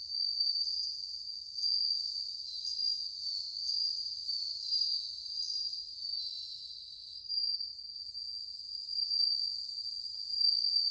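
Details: Many bell crickets kept together sing in August 2020, a steady bright ringing trill with overlapping voices that swells and eases every second or two, high and pure like tiny bells.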